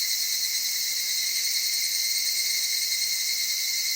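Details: Evening cicada in the Okutama cedar forests of Tokyo, Japan, among mountain streams and highlands at dawn or dusk: an unbroken, high, ringing insect drone with layered shrill tones and no other clear sounds.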